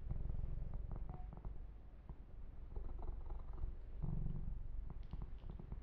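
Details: Pet kitten Yumak, a male, purrs under a massage, captured ear to ear: a continuous deep rumbling purr with scattered clicks and soft scratching from fur grooming.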